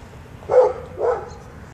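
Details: The neighbor's dog, described as never stopping barking, gives two gruff barks about half a second apart. Low room hum fills the background.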